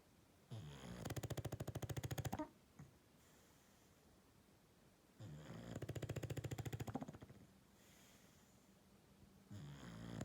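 Loud, low, fluttering snores from an English Bulldog come in long rasping breaths. Each vibrating snore lasts around a second and a half, with quiet breathing gaps of several seconds between them.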